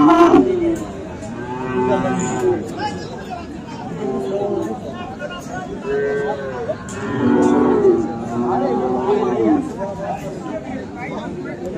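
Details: Friesian and crossbred bull calves bellow at the Aftabganj cattle market in Dinajpur on 10 December: a series of short, low moos, about five in twelve seconds, some overlapping, amid steady human chatter and market bustle.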